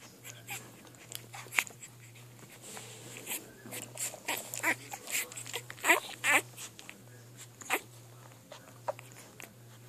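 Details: Three-day-old Bull Terrier puppies giving a few short, high squeaks and whimpers at irregular intervals among soft rustling and clicking movement, over a steady low electrical hum.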